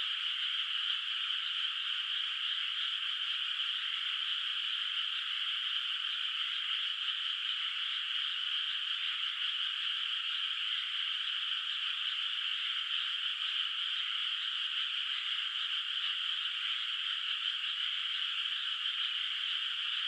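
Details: Night chorus of distant frogs over a moonlit, unplanted rice field in the countryside; a constant, even wash of high trilling runs the whole stretch without pauses, and no birds, wind or people are heard.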